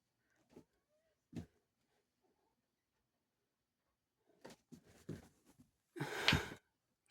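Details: Bengal cat indoors in a small room: a few soft snuffling breaths, then a cluster of short puffs and one sharp, explosive sneeze burst near the end, with quiet pauses between.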